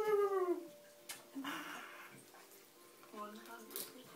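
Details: Kratos, a 14-week-old Alaskan Malamute puppy indoors teasing another dog, gives a falling drawn-out howling whine lasting about half a second, then softer yelps and whimpers while a person talks and urges him on.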